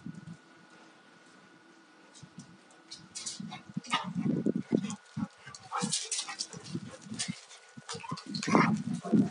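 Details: Rough play between a young male Alaskan Malamute, two years old, and a female of four and a half; low throaty growls build after a quiet start, mixed with sharp scuffles and a higher snarl near the end.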